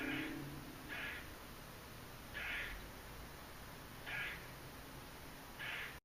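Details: A squirrel makes weird, rasping, somewhat cat-like calls, each about half a second long, repeated at uneven one-to-two-second intervals over a steady hiss, in Margate, New Jersey, on October 28, 2012, the day before Hurricane Sandy.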